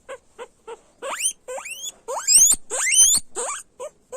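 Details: Guinea pig calls beginning with soft short low chirps, then swelling into loud rising shrill squeals that climb steeply, a few strong wheeks in the middle before fading back to quieter short notes.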